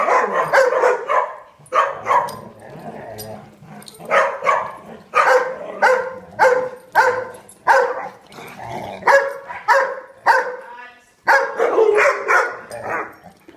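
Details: Dog daycare big side full of barking: many dogs bark in rapid, overlapping bursts, loud and continuous, with a short lull near the end before barking resumes.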